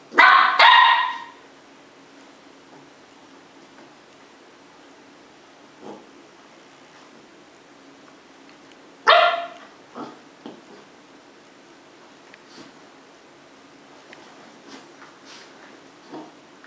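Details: Cardigan Welsh Corgi puppies, a 10-week-old brother and sister, play fighting in Adelaide, South Australia; two loud, harsh barking bursts about nine seconds apart, with faint scuffles and short yips in between over a quiet indoor background.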